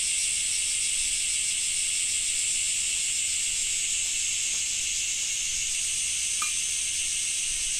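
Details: In Japan in summer, cicadas keep up a steady, high, hissing buzz without a break.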